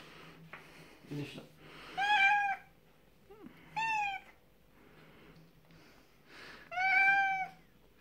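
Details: Domestic cat meowing loudly indoors while being taken into a bath on a veterinarian's advice, three long drawn-out harmonic meows a couple of seconds apart, with faint background hum and a brief human sound.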